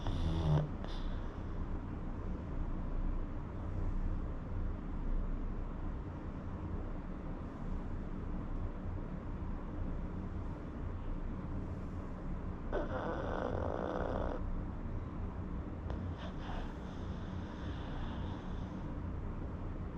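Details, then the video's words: A pug snores in its sleep, a soft continuous low rumble of breathing, with a faint brief higher hiss partway through. "Pug snoring"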